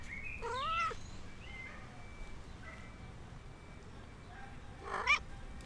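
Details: A stray cat gives a few faint, high, wavering meows that bend up and down, with a sharper, louder cry near the end over quiet background hiss.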